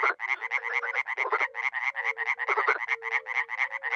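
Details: Dozens of frogs and toads croaking at a small pond in Miroslovesti, northeast Romania, in spring: dense rapid rattling croaks overlapping nonstop, with short low tonal hoots sliding in between.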